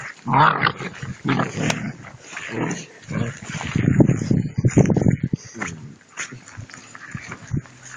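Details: Playful two-month-old puppies tug at a rag in prey drive training, producing dense low growling and grunting in repeated bursts, with occasional human voices nearby.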